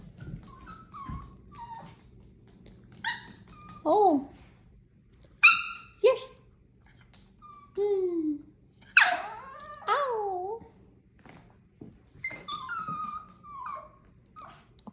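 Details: Sassy Chihuahua giving a run of high, whiny yelps and grumbling talk-like calls, several sliding up then bending down, in short bursts every one to two seconds over a faint low hum, with a woman speaking between.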